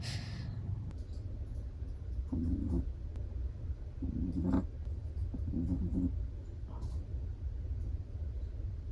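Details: Chihuahua asleep, snoring in three soft nasal rasps spaced about one and a half seconds apart, low and breathy over a constant low hum, with a faint rustle at the start.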